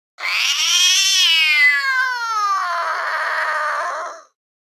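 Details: Fluffy cat at a window, ears up and watching outside, gives one long continuous wailing meow of about four seconds, strained and harmonic-rich, pitch sagging slowly across its length.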